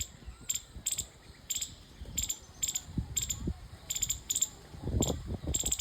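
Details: Chirping squirrel: bright, piercing chips repeated steadily, some in quick pairs, over constant low rumbling noise.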